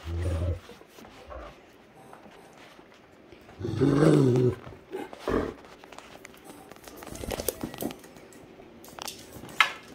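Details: Great Danes Heartbreaker and Rhapsody playing together on a Sunday morning indoors: a short low rumbling growl at the start, then a louder, harmonic-rich growling burst around the fourth second, with scuffling and thumps of play between.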